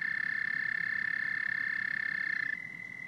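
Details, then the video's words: Steady high-pitched trilling of frogs and toads, a rapid pulsed drone that runs without pause, shifting slightly higher and fading a little in the last half second. "Frogs and Toads Symphony"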